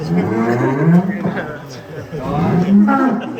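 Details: Fat sacrificial cows of celebrities and officials, 2023: two deep, drawn-out lowing moos, each a low steady groan rising slightly before trailing off, with people talking faintly behind.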